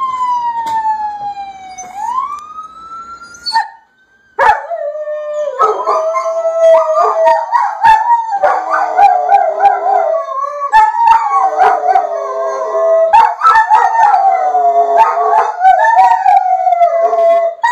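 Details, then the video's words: Three German Shepherds howling in reaction to police siren audio: a rising and falling siren wail opens, then overlapping wavering howls with harmonics and sharp clicks fill the rest, loud and continuous. "German shepherds reaction to police sirens"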